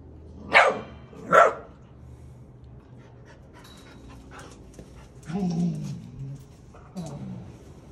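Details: Dog named Colt at a Deutsch Drahthaar (German Wirehaired Pointer) puppy training session, barking to tell the puppy to settle down: two sharp, loud barks close together, then quieter voiced sounds and a person praising him as a good boy.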